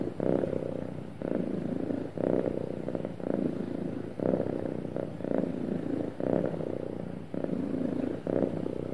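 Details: Happy cat purring smoothly: a steady, low, rumbling purr that swells and dips in rhythmic pulses about once a second, each breath marked by a brief gap, with no other sounds.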